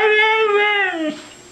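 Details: Female Siberian Husky Mishka "talking" indoors: one sustained tonal whine, fairly level then sliding downward and fading after about a second, amid a person repeatedly saying "I love you" and "good girl."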